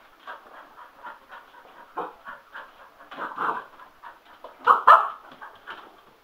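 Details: Sugar, a male Cocker Spaniel, goes a little nuts over a spin mop at home, giving rapid panting puffs and short whimpering yelps that build to two louder sharp cries near the end.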